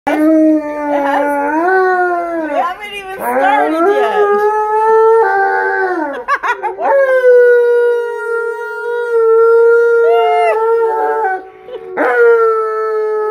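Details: Malamute and Blue Bay Shepherd howling together indoors, long rising and falling tonal howls overlapping, with brief breaks and voices shifting pitch, the two dogs' lines weaving in harmony.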